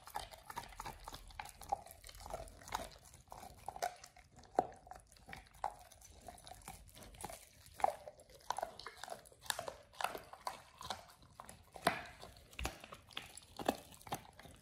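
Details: Raw ostrich paw chewed by Oliang the Pit Bull on his first try: steady run of crunches, clicks and wet mouth noises at uneven intervals over a long stretch, in a small quiet room.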